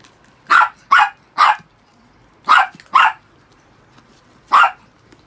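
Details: Six pet Chihuahuas after their shampoo; loud, sharp barks ring out, three in quick succession, then two more after a pause, and a final single bark, in a quiet room.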